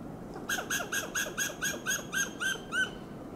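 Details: A Western gray squirrel (Sciurus griseus) on a coast live oak in Del Monte Forest, California, gives a rapid string of loud, harsh barking alarm calls.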